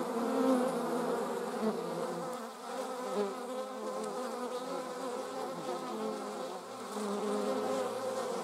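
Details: Honey bees, filmed alongside wasps in slow motion, buzz steadily in a dense hum of overlapping wingbeat tones that swell and fade.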